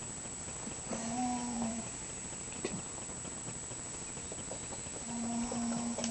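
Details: Pet mouse Scharlett asleep and snoring, giving two steady, humming whistle-like breaths about four seconds apart, with a light tick or two between them against quiet room hiss.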